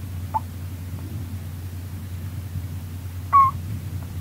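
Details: Female Russian dwarf hamster named Rolo, a pet, snoring while asleep: one short squeak early on, then a longer wavering squeak near the end, with quiet low hum throughout.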